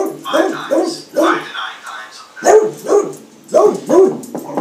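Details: A 13-year-old beagle reacting indoors to a knock he thinks is at the door, giving repeated wavering, baying barks about every half second, with background speech.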